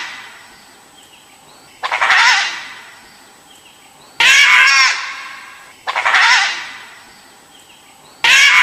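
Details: A dhole (Asiatic wild dog, Cuon alpinus) gives harsh, screechy bursts about every two seconds, each rough and fading.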